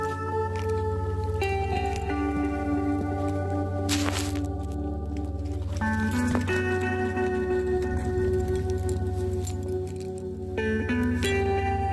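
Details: Ambient instrumental music with sustained tones and a steady low drone fills the recording, with a brief soft rushing burst and no animal voice.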